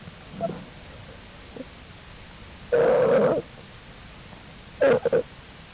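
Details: Jewel the American black bear's cubs, following their mother outside the den on April 2, 2012, exploring; two loud, harsh, wavering squealing bursts, one near three seconds, another near five, with softer faint calls before, over steady low hiss.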